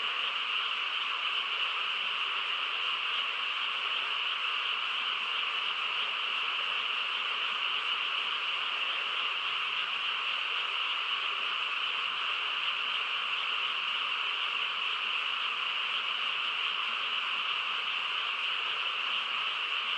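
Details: Steady chorus of many frogs on a still country night, the overlapping trills forming a seamless high buzzing blanket that never lets up.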